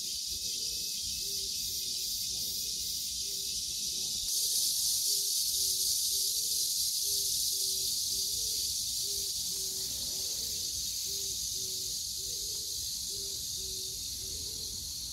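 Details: Cicada calling among a date-plum tree, morning glories, pumpkin leaves, peppers and an old tree: a dense, continuous high hiss-like drone that swells louder after four seconds, with a low soft note pulsing steadily beneath it.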